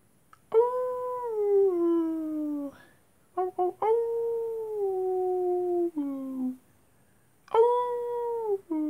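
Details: Several long wolf howls at night, each steady tone stepping down in pitch, broken by short yips and pauses, with a lower howl overlapping in the middle.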